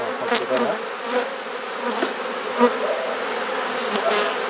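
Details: Honey bees buzzing at a garden hive in Perth, Australia, during an inspection and frame change; unbroken humming drone with scattered handling clicks and knocks.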